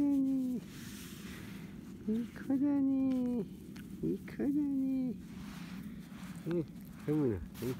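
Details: Young field-type Labradors, 31 days old, let loose on a grassy lawn. Loud, drawn-out whines hold nearly level and then fall away. Shorter yelping whimpers come between them, ending in a quick pair of squeaks.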